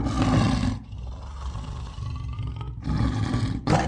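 Lion roaring in deep, rough bursts: a heavy roar, a short pause, then two more powerful surges, the sound concentrated low and booming.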